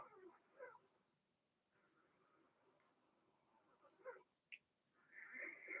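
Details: Blenheim Cavalier King Charles Spaniel puppies from a home puppy pen, a litter of six (two females, four males) born March 7–8, during potty training: soft scattered whimpers, a brief sharp high squeak, then a longer thin whine at the end.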